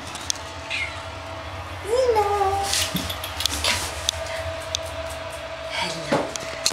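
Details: Xena, a five-month-old Bengal cat, gives a single rising-then-falling meow with clear harmonics lasting about a second, indoors, amid soft voices and a few clicks, with a thump near the end.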